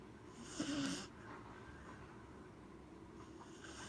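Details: Gen-chan, a Corgi, asleep and snoring: a single brief snorting inhale with a nasal, buzzy rattle lasting under half a second, followed by soft breathing hiss in a quiet room.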